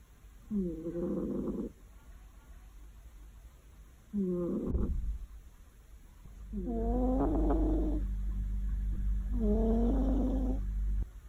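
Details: Pet cat snoring loudly while asleep on a warm afternoon; four rasping, harmonic snore breaths of about a second each, some longer, separated by quiet pauses, over a steady low room hum.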